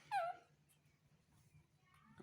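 A baby monkey gives a brief, high, falling whimper, calling for its mother's comfort.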